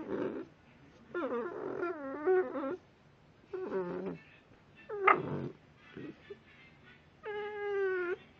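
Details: Blue Staffordshire bull terrier puppy making odd noises: a series of warbling, moaning whines and grumbles in separate bursts, some wavering up and down, one sharper yelp near the middle, and a long steady whine at the end.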